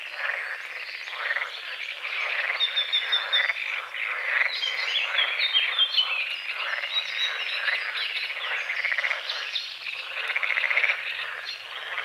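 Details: Croaking frogs at sunrise on a foggy small lake at the forest edge: loud, rapid, rattling pulses from many callers at once, and several short whistled bird phrases weaving through the chorus.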